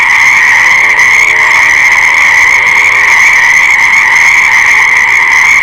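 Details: Many frogs calling together in a continuous, shimmering chorus of rapid trills, plus a brief deeper, lower croaking note near the start beneath the steady high din.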